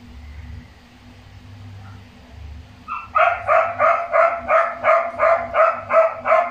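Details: After a low room hum, a newborn Shih Tzu puppy from its mother's first litter of five healthy puppies gives high, nasal squeals in rapid, even bursts of nearly three per second.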